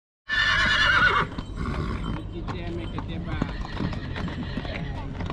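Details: A mare at Recea in Maramureș, Romania. A loud, rough, harmonic-rich burst lasts about one second. Hoof clatter and a man talking follow.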